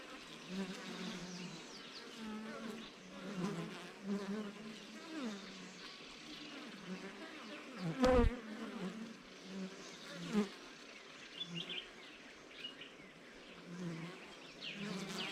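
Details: Bees inside traditional beehives in the African bush, kept by wild beekeeping. A dense, steady low hum of many wings with overlapping droning tones, broken by a sharp knock near the middle and a smaller bump soon after.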